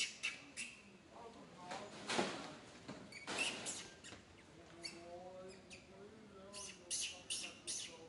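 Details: Little monkey Santo, a baby in a bad mood, cries while his angry mother Sara ignores him; shrill bursts and wavering tonal wails come in uneven waves, with loud sharp peaks near two and three and a half seconds.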